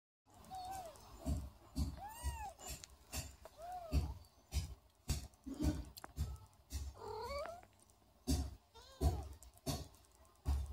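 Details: Hungry kittens at feeding time give short, high arched mews about every two seconds, rising then falling, over repeated soft thumps and clicking handling noises.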